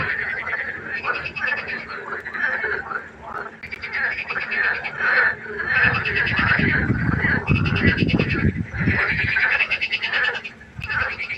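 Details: Frogs calling after dark beside a pond, a dense chorus of pulsed, grating croaks repeating rapidly. A stretch of deep rumbling noise joins the chorus partway through, then eases off.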